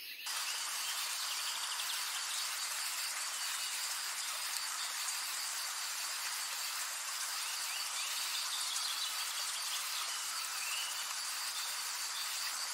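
Katydids fill the air with a steady, high, hissing buzz that never pauses.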